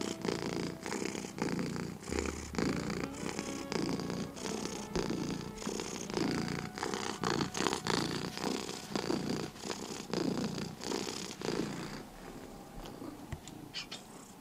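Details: Sleepy domestic cat purring and snoring indoors, a steady low rumbling buzz pulsing in breaths under a second apart, with faint higher hiss on each phase; quieter toward the end.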